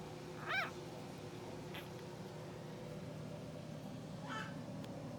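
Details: A 4-day-old blue sable Olde English Bulldogge puppy, sleeping with its litter in an incubator, gives a brief, high, wavering squeak, then a fainter whimper, over a steady low machine hum.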